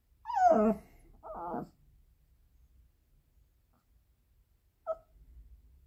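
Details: Pomeranian. A small dog lets out two tonal, wolf-like howls that slide downward in pitch, followed after a pause by a short high whimper. The crying is separation distress when its owner leaves.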